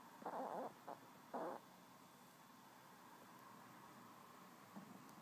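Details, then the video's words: Chihuahua named Yaeger snoring away: two short raspy, breathy snore bursts close together early on, then a soft quiet stretch with only a faint snuffle near the end in a calm room. "Snoring Chi"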